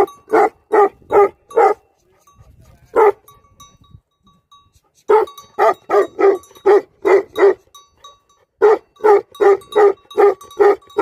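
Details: Deep, forceful barking by livestock guardian dogs in irregular bursts, a pause with faint low noise, then a sustained volley of rapid barks.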